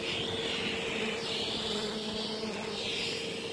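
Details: A steady machine-like hum under broad, wavering hiss, with no clear animal call.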